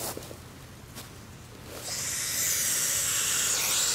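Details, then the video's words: Defensive hissing from a young captive hognose snake that mimics a cobra and then plays dead: quiet handling noises at first, then a long, sustained airy hiss that grows louder and holds to the end. "Hognose Snake (Hisses and then plays dead)"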